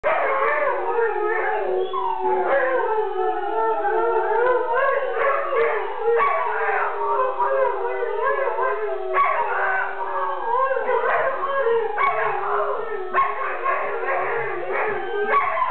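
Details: A greyhound "sings" along to a Lagwagon song, howling steadily, its voice wavering up and down in long, mournful, sung-out tones.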